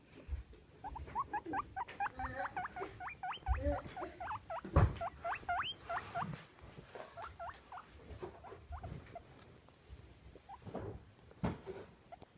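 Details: Happy pet guinea pig squeaking: a quick run of short, high, upward-sweeping squeaks, densely packed for about six seconds, then fewer and more scattered, with low thumps and handling noise between.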